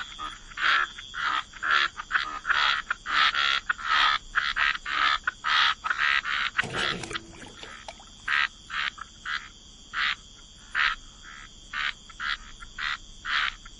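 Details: Frogs croak by the waterside in wetlands, in a rapid, uneven series of short, raspy notes, with a steady high insect-like hum beneath.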